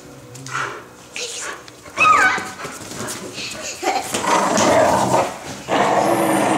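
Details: An animated pit bull tussling with a toddler for stuffed toys, giving harsh, rasping growls and whiny snarls in uneven bursts, with a child's squeals and people talking throughout.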